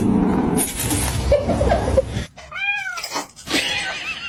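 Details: Domestic cat (kitten). A kitten lets out one clear, high-pitched meow that rises and falls smoothly over about half a second. Before it comes a burst of rustling and chatter, and people laugh nearby.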